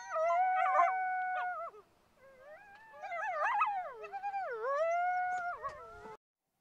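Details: Coyotes howling together, two or more voices overlapping, their held notes wavering, sliding and dipping in pitch with brief yipping breaks, then cutting off abruptly.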